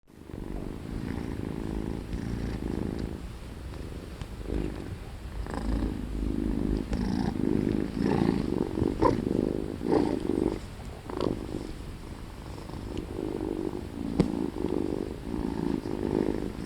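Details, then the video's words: Tired domestic cat yawning, a steady low rumbling purr with soft pulsing bursts throughout, fairly continuous with slight swells in loudness; no other clear sounds. "Yawning Kitty Cat"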